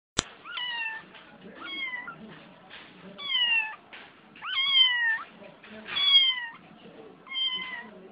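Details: Domestic cat crying indoors: a series of drawn-out, wavering meows, each about half a second to a second long, coming roughly every one to one and a half seconds, with faint rustling between calls.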